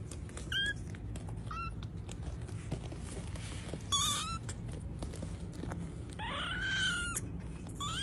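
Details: Domestic cat giving several short meows, each a brief rising-and-falling tone, with a longer drawn-out meow near the end, over a steady low indoor hum.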